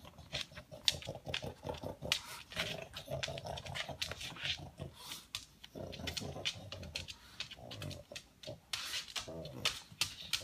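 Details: Household pug vacuuming up leftover food pellets with loud nasal snuffling: continuous rapid sniffs and rough snorts with grunting undertones, occasional faint background voices indoors.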